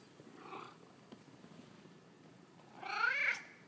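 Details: Male house cat chatting back to its owner: a faint murmur early on, then one strong wavering meow near the end, in a quiet indoor setting.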